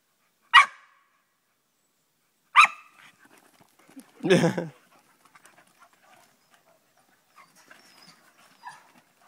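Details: Staffordshire Bull Terrier, an English staffie, at play with its mother: two sharp, loud barks about two seconds apart, then a rougher, deeper growling bark, followed by quiet scuffling and soft whimpers.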